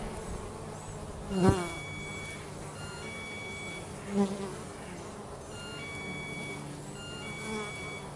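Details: Bees at work around their home produce a constant low buzz, broken by two loud close fly-bys near the start and middle; faint high steady tones sound in the background.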